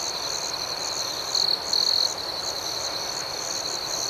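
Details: Nighttime crickets sing a continuous high-pitched ringing drone with rapid pulsing overtones, and two louder, harsher trills rise out of the chorus in the middle.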